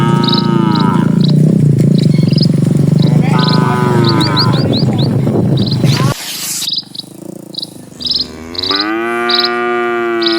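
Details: Cattle herd moving along a rural road, low moos partly buried under loud rumbling noise in the first half, then a clear long lowing call near the end, with repeated high chirps throughout.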